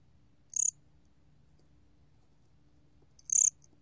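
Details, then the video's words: 곰귀뚜라미, a Korean cricket, recorded in 2020 by the National Institute of Biological Resources, gives two brief, shrill, pulsed chirps nearly three seconds apart against a quiet, low background hum. "곰귀뚜라미, 여러번 듣기, 곤충소리"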